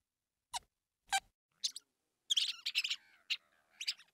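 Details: Squeaks of a house mouse (Mus musculus): a few sharp isolated high chirps, then a dense run of rapid scratchy squeaks and two more short bursts near the end, against silence.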